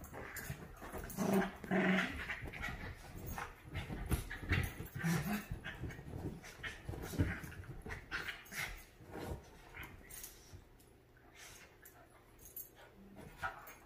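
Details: Havanese and Maltese, Clam and Bella, playing happily and fighting over a couch in a small room; rough low growls and yips come in uneven bursts over scuffling and thumps, easing off toward the end.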